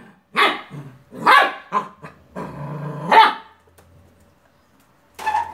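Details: A Beagle puppy yaps at a toy car, a quick run of three barks, then a drawn-out whining howl, a pause, and one more bark at the end.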